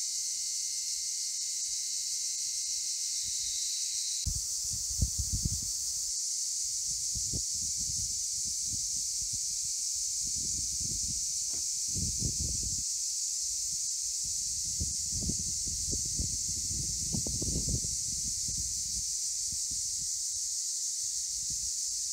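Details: Cicadas calling in Akamas National Park, Cyprus: a continuous sizzling high whine, briefly shifting in tone early on, over intermittent low thuds and handling or wind noise.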